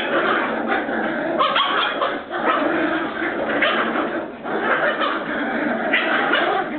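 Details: Border Terrier puppies from Bois Caiman make a continuous babble of squeaky yaps, whimpers and low growls, several voices at once, dipping briefly twice before resuming.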